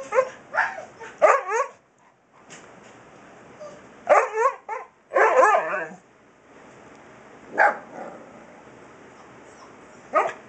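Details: A Siberian Husky puppy talking back to its father: bursts of short, high, yappy barks and yelps, some in quick clusters of two or three, separated by brief pauses in a quiet room.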